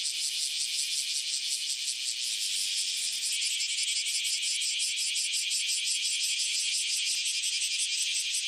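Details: Cicada, known locally as tonggeret or garengpung, calling from trees: a loud, continuous, high-pitched buzzing drone with a fast pulsing texture, steady throughout without pauses.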